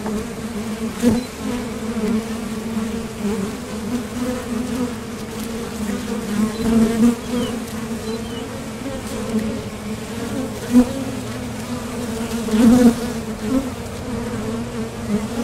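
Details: Honeybees at the entrance of a top bar hive, leaving and landing while foraging for nectar; a steady low droning hum with a strong overtone band, occasional louder passes of single bees close by.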